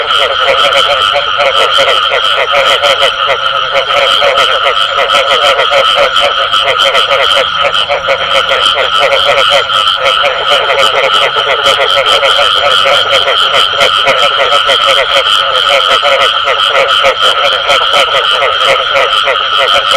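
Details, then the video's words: Unbroken frog chorus with the bù tọt call, countless rapid croaks overlapping into a loud, even, buzzing texture across the whole stretch. "Tiếng Ếch Kêu Có Tiếng Bù Tọt Cực Chuẩn"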